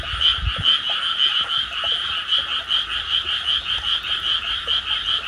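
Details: A dense night chorus of frogs in Tsurumaki-nishi Park, Tama, Japan, on 16 May 2024, recorded on an iPhone, with many voices merging into a steady, pulsing trill.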